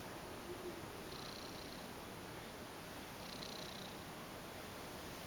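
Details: Female ex-stray cat Piccolina purring while hidden under bed sheets, a soft steady rumble with two faint breathy swells about two seconds apart, muffled by the fabric.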